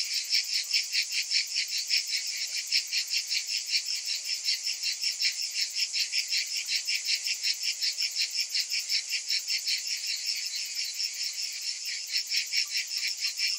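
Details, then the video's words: Many cicadas calling together in summer heat, a continuous high sizzling buzz with a fast, even throb of about two to three pulses per second sustained through the whole stretch. "Cicadas in Summer"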